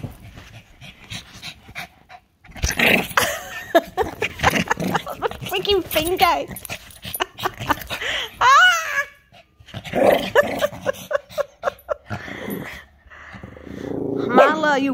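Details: A Shih Tzu, excited and "going mental", gives wavering whines and sharp yaps while people talk nearby.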